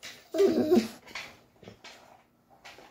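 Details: Pet Schnauzer 'talking' because he wants a walk, in a small room: a short, grumbling whine-like utterance, followed by several quieter mutters and breaths.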